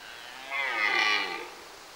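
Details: Red deer bellowing in a September forest, a love call and proof of its strength: a single moaning bellow rich in harmonics, swelling and fading over about one second against a quiet background.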